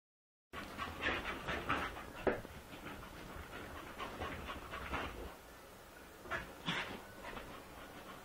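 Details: A corgi running laps pants hard and gives a few short, breathy yips and whimpers in uneven bursts, with the scuffing and rustling of movement underneath.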